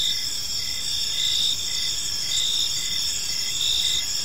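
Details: A short stretch of evening cricket chirping in a calm park: continuous high trilling with faint regular pulses, steady in loudness throughout.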